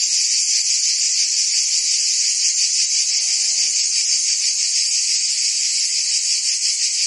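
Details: Cricket and insect chorus, a constant high shrill buzzing with quick pulses; around the middle, a faint short lower call briefly surfaces beneath the trilling.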